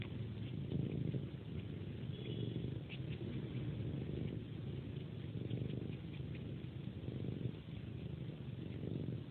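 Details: Domestic cat purring at its pre-sleep ritual, sucking on a person's hand like a pacifier and making little sucking sounds. It gives a steady, low rumbling purr that swells and eases in slow rhythmic waves throughout.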